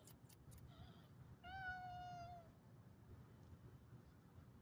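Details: Calico cat rebuking a Siamese cat with one long, level, nasal meow lasting about a second and tapering off at the end, heard against soft low background rumble and a few faint clicks.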